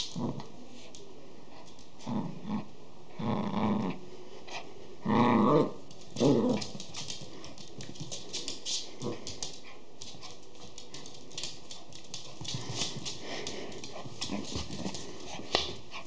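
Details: Schipperke puppies indoors: three rough, growling bursts near 3.5, 5 and 6.3 seconds, the middle one longest, then quieter scattered rustles and small clicking sounds for the rest of the recording.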